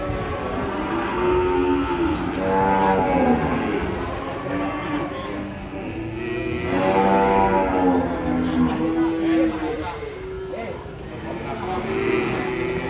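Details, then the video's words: Agitated cattle on a rampage bellowing repeatedly: drawn-out, deep, harmonic moos that swell and sag in pitch, several overlapping across the stretch. Voices of handlers trying to calm the animal and faint music fill the background. "SAPI NGAMUK"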